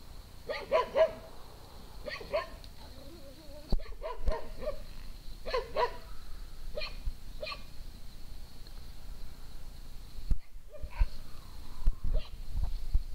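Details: Morning romp at Triple Acres Horse Rescue with dogs Pinto, Luna, Trinity and Junior: loud separate barks in bursts of two or three, spaced by pauses of a second or more, plus handling bumps and low rumble.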